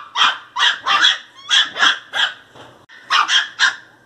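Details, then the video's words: Angry pinscher puppy barking in sharp, high, yappy bursts, about two per second, in three groups with a brief pause, some barks doubled. "Filhote de pinscher 0 bravo latindo"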